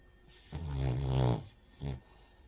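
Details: Cavalier King Charles Spaniel Rin asleep and snoring; a long, deep, rattling snore rising in strength, then a short softer snort after a brief gap.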